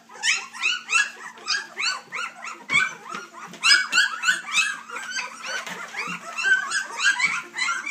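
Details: Litter of three-week-old puppies from Dixie and Colby, whimpering and squealing in a busy chorus of high, rising-and-falling cries that overlap constantly, with a steady low electrical hum underneath.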